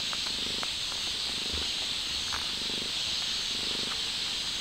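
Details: Stray mother cat trying to take her kitten outside, giving a low rhythmic purr in four or five pulsed bursts across a few seconds, under a constant high insect-like hiss with scattered soft clicks.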